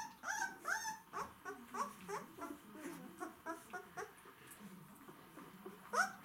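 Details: White Swiss Shepherd dogs, described as hungry, giving a busy mix of short high whimpers and squeaky yelps that overlap irregularly, with several separate calls sharing the space.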